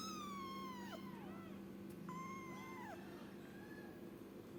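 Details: A young kitten gives two loud, high, plaintive meows that bend up and then fall away, followed by a softer short cry, with a constant low hum underneath.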